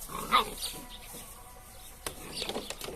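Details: Male Drahthaar (German Wirehaired Pointer) puppy, one of a litter shown in turn, gives a single short, sharp high yelp near the start. Quieter rustling and handling noises follow, with faint voices in the background.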